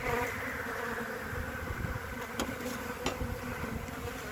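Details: Honey bee colony on three frames, 14 February 2021: a steady low droning hum with layered harmonic bands, broken by a few sharp handling clicks and knocks.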